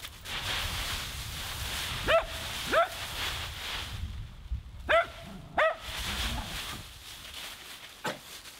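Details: Playing in her leaf pile, Nora the Husky lets out a string of five short, high barks, mostly in pairs, over continuous rustle and crunch of leaves.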